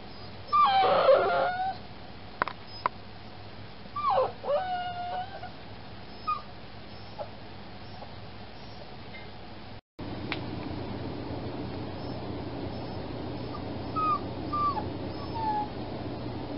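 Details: Fostered puppy, just spayed, keeping the household up all night: clustered rough yelps and squeaky whimpers, then after a short break several faint, high, falling whines over a hum.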